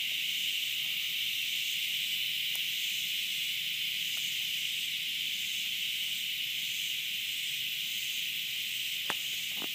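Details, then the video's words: Cicada noise from 30 August 2013: a constant high buzzing drone with faint rhythmic pulsing in its upper band, and a few brief clicks and taps in the background. "Cicada noise"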